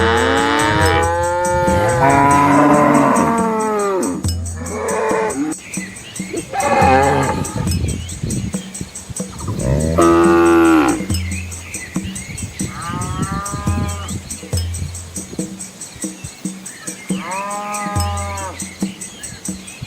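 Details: Large herd of red village cows and calves wading across a small river in rural Asia, several cattle mooing in turn, overlapping long lowing calls, some rising then falling, spaced over twenty seconds, with background music throughout.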